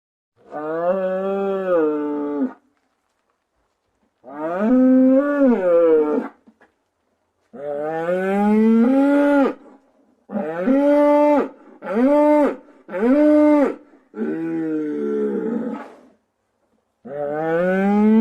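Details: Cows mooing in long, drawn-out harmonic calls, each lasting one to two and a half seconds, about eight moos with brief silences between; several swell and rise in pitch, some shorter ones come in quick succession, with no other clear sounds.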